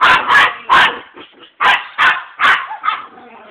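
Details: Pet dogs called Gina and Jry, urged on in Italian; loud, sharp barks in a quick series, about seven in three and a half seconds, with softer yips between them.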